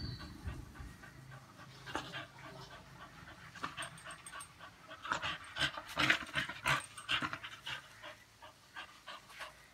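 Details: American Bully dog panting heavily in rapid, irregular breathy bursts that grow louder and denser in the second half, with scattered noisy rustling in the background.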